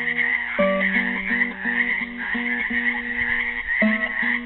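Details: Dense trilling chorus of frogs trapped in a pool in Helix, Oregon, Earth Day 2016, throbbing continuously under a classical guitar playing a repeated plucked figure.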